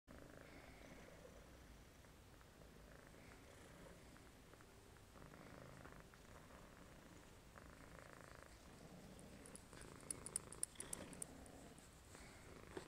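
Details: Male domestic shorthair cat awaiting adoption, tested FIV positive at his health check and to be kept indoors only, purring softly: a steady low rumbling texture throughout, with faint crackly handling noises near the end.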